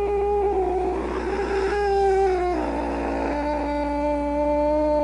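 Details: Angry domestic cat giving a low, drawn-out moaning growl with a rough, snarling texture, dropping slightly in pitch partway through and then holding steady to the end.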